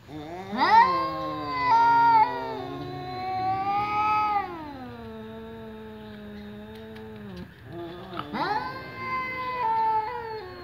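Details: Two domestic cats, one ginger and one black, meowing at a door: long drawn-out harmonic meows, some rising then falling, several overlapping calls with a quieter sustained wail in the middle.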